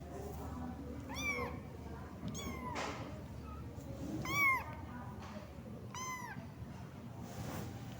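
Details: Cat giving four separate meows about every one to two seconds, each an arched harmonic cry, over a steady low background hum in a quiet setting.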